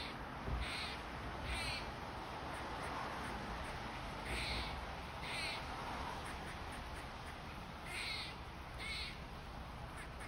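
A squirrel gives harsh, raspy calls in pairs, repeating every few seconds over a steady rushing background.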